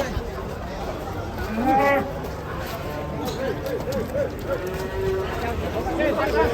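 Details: Huge cattle being unloaded from a truck, a low drawn-out moo rising out of a noisy scene, with men shouting instructions and talking excitedly throughout.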